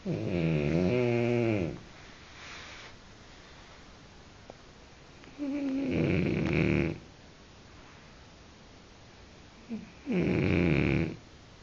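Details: Three loud snores from a French bulldog indoors, each a rough, rattling inhalation lasting over a second, coming about every four to five seconds with quiet breathing between.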